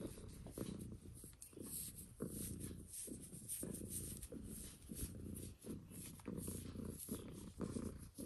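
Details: Female cat Mitsu purring close to the microphone during ASMR scratching: a continuous low buzzing rumble swelling and pausing with each breath, overlaid by sharp scratching taps.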